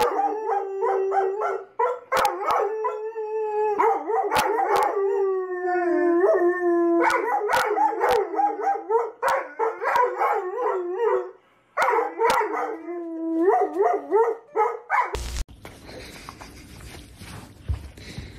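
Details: Pet dog waking its owners up in the morning, howling in long repeated wavering bursts that bend and slide in pitch, broken by brief pauses and clicks, ending in a sudden switch to noisy background.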